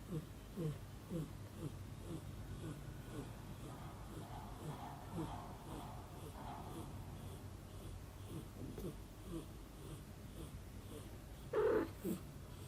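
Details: Mother cat snoring while baby kitten Tomi dozes off on her shoulder; soft, rhythmic low breaths repeat steadily throughout, with a brief louder rustle near the end.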